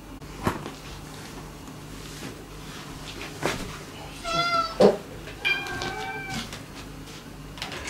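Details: Former stray cat Mame-chan, a female still struggling to befriend the resident cats at home, gives two clear harmonic meows in quick succession, the second longer and wavering, with soft indoor bumps and rustling around them.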